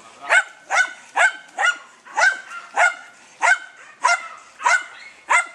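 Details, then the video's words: German Hunting Terrier named Dunja barking while hunting wild boar: a steady run of sharp, high-pitched barks, about two every second, each a bright harmonic yelp with quick onset. "DEUTSCHER JAGDTERRIER DUNJA VS WILD BOAR-DUNJA NA VEPRA"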